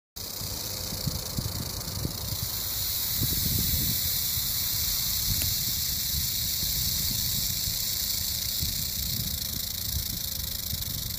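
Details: Eastern diamondback rattlesnake, described as male, rattling a warning because people are a little too close; a steady, dry, high-pitched buzz runs unbroken for about eleven seconds over low rumbling noise from wind or handling.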